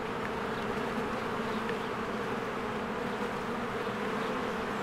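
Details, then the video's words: Honeybees in spring flying in and out of their hive among blooming flowers, a dense steady buzzing hum of many insects, continuous with banded low drone and faint brief high chirps from birds above. "1 Hour of a Beehive ASMR"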